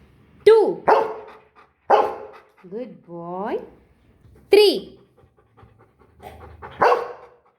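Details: Golden Retriever being taught numbers, giving loud single barks on cue alternating with a person counting aloud and praising; one drawn-out whine-like vocal between barks.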